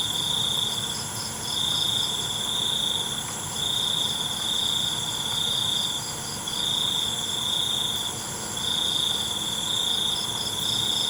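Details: Crickets at night, a steady high trilling band broken into bursts of roughly a second, repeating irregularly over a dense chorus of other high insect buzzes.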